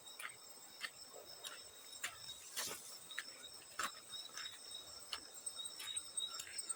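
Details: Field cricket call as a continuous thin, high ringing tone, overlaid by irregular splashing and dripping water, with one louder splash near the middle.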